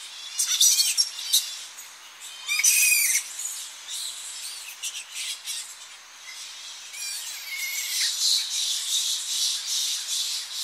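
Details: Tonga flying foxes at an early-morning coastal roost as the colony returns, close up: harsh shrill screeches in loud bursts, then a steady rasping chatter of many overlapping calls.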